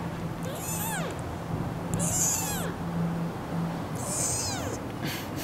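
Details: Three-week-old kitten, possibly the youngest of a semi-feral mother's four, picked up: three thin arched meows about two seconds apart, over a faint steady hum and background noise.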